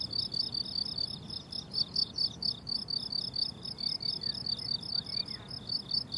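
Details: Summer meadow crickets keep up a bright, high-pitched pulsing chirp in a continuous chorus, while soft faint bird notes slip in near the end over a low background hum.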